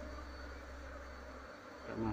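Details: Honey bees during a colony move into a cultivation box while the queen is still being searched for: a steady, low droning hum that holds even throughout, swelling slightly louder at the very end.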